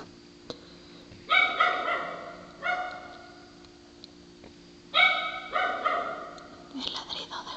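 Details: Dog giving husky, sea-lion-like barks: four long honking barks in two pairs, each pair a loud bark followed by a slightly weaker one, ending in short broken yelps, over a faint constant electrical hum.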